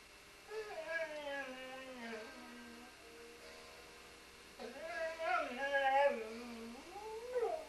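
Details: Welsh Springer Spaniel singing indoors to music, giving wavering, sliding howls with rich harmonics in two bursts, the second louder and more varied, over continuous background music.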